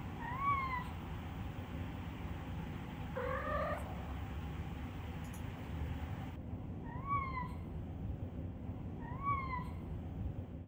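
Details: Male Minuet (Napoleon) cat, described as having the softest meow; four brief, quiet meows spaced a few seconds apart, each short and slightly falling, against constant low indoor hum.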